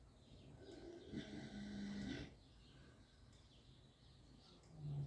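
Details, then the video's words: Young Mangalitsa gilts asleep, snoring: a soft, breathy rasping snore swells for about a second with a low hum beneath, then quiet breathing and a second faint low snore at the end. "Séquence ronflette avec les cochettes Mangalitza"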